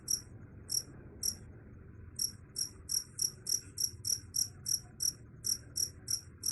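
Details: High, crisp cricket chirps, first spaced irregularly with a pause of about a second, then settling into a fast even run of roughly three chirps per second; faint background rumble.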